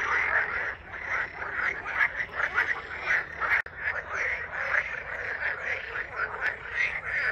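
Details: Many frogs croak at once at a pond where a stork bathes and swans and ducks swim with chicks, forming a steady rattling chorus of quick, thickly overlapping notes with no single voice standing apart.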